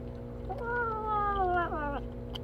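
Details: Cats gathered close together while eating; one drawn-out harmonic meow lasting about a second and a half, slowly falling in pitch and ending with a brief dip, over a steady low hum.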